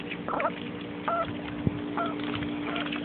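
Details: Young, very excitable female mallard duck kept as a pet, playing happily in a muddy puddle; short nasal quacks come in small bursts, separated by pauses, over a steady low hum.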